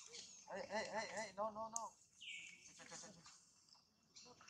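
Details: A pregnant female monkey gives a run of quavering, rising-and-falling harmonic calls in quick succession, then a short, thin, high-pitched squeal, with faint background noise and possibly some human voices.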